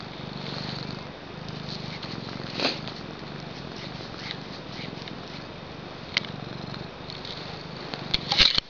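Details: Pet female cat purring, a steady low rhythmic rumble running throughout, close and continuous, with a few faint clicks and a brief rustle near the end.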